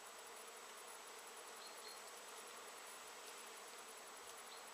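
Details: Crowds of bees foraging around knotweed bushes in September 2013; a steady, rushing hum of countless wings with no breaks, and a faint high chirp near the middle.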